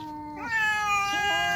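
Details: A tortoiseshell cat in a fight between cats gives a drawn-out, wavering caterwaul-like meow, rising after a short low start and holding steady, while a woman calls the cat away in Thai.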